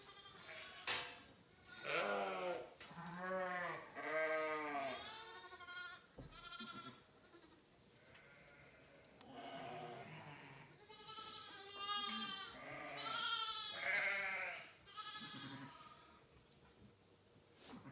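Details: A chorus of hungry sheep in a barn at lambing time, March, on a ranch in Saskatchewan, Canada: many overlapping, wavering bleats, some high and shrill, others deeper, calling almost continuously, with a sharp clatter near the start.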